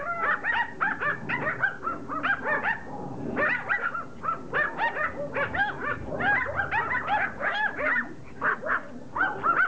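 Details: A pack of Pomeranians going at a rugby ball, excited shrill yapping and whiny yips overlapping continuously, quick repeated barks with arched pitch contours and no quiet gaps.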